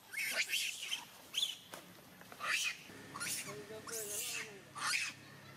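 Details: Angry baby monkey cries at monkey Jane, giving sharp high screeches in separate bursts about every second, while a person talks quietly in the background.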